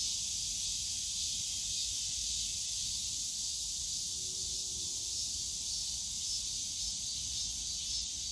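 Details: Summer cicada chorus in a bamboo forest at Yongsan Family Park, one continuous shrill buzzing wall of sound with no pauses, and a soft low background hum from the park.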